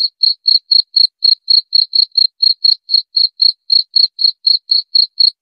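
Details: Cricket chirping rapidly and steadily, about four clear, high ringing chirps per second in an even rhythm; clean background.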